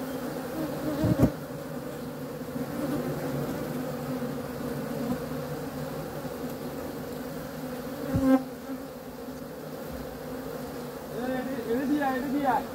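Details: Honey bee buzzing as a sustained, rich droning hum, broken by two sharp knocks and a louder close pass, with faint thin chirps near the end.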